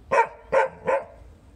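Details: Three quick, clear barks in a row, evenly spaced about a third of a second apart, from a dog as Alvie chats with a Chow Chow, recorded 20 April 2018; quiet background otherwise.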